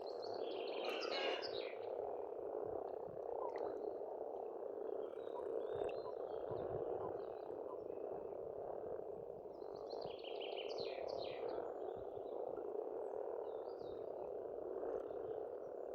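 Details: Many frogs croak together in spring at an Estonian pond, forming an unbroken, rolling mass of rough calls. Songbirds break in with bursts of quick, high twittering near the start and again midway.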